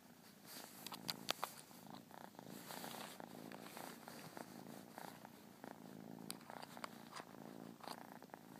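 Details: Persian kitten purring indoors: a soft, continuous rhythmic rumble with pulsing breaths, punctuated by a few faint clicks.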